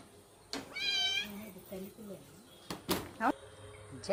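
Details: Pet mother cat with her kitten in the evening: one short, high, harmonic meow near the start, followed by a low human voice and a few sharp clicks.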